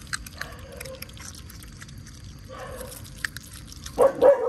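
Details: Otters at mealtime in the mangroves, fed mullet and other fish: thin squeaky calls at the start and middle, then a louder, harsher squealing burst near the end, with scattered clicks and chewing-like ticks throughout.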